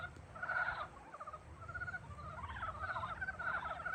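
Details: Frogs waking in spring, trilled pulsing croaks from several animals, a loud burst at the start, then quicker rattling notes building into overlapping calls, steady background hiss beneath.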